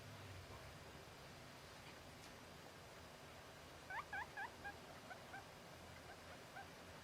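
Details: Guinea pig whistling: a brief run of about six quick, squeaky chirps, each arching up and down, clustered near four seconds, then a few fainter single notes, all over a steady low background hum.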